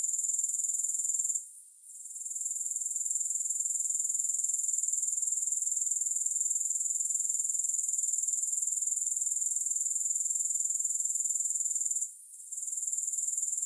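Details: Continuous high, shrill grasshopper buzz without music, throbbing rapidly about four times a second, briefly dropping away twice, once early and once near the end, before resuming at full strength.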